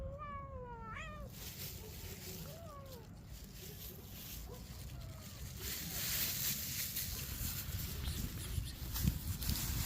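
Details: Street cats being fed; several short rising meows sound in the first three seconds, then give way to a steady broadband hiss and low rumble.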